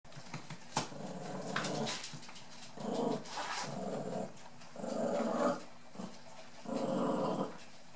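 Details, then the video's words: Nearly 8-week-old brown and black dwarf-toy poodle puppies playing indoors with an adult white toy poodle; low rumbling growls in bursts about a second long, repeated roughly every one to two seconds, with scuffling noises between. "Söta dvärg och toypudelvalpar som leker. Sweet playing poodle puppies."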